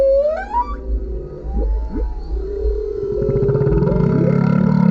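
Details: Male humpback whale singing beneath a kayak, captured with a GoPro: a high whistle sweeping upward opens, then low moans, short rising swoops and a swelling pulsed growl that grows louder toward the end.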